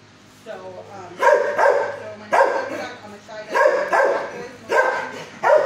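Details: Fozzie Bear, a six-year-old dog housed in kennel 19 at the HSSAZ shelter, barks before learning calm from a neighbor. Loud, full barks come in pairs about once a second, echoing in the kennel.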